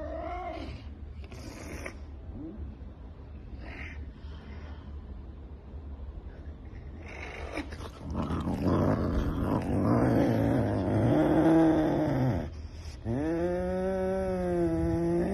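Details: Savannah cat eating chicken, described as aggressive and energetic: after quiet scuffling, a rough, throaty growl builds for several seconds, breaks off, then resumes as a wavering, tonal moan-like growl rising and falling in pitch.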